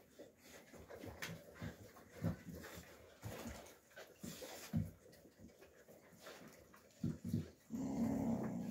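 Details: Young Alabai (Central Asian Shepherd Dog) puppies fighting in winter 2023, billed as Fawn Alpha versus Tiger: short low growls and snarling bursts come irregularly, several per second, with a steady low rumbling noise near the end, recorded indoors.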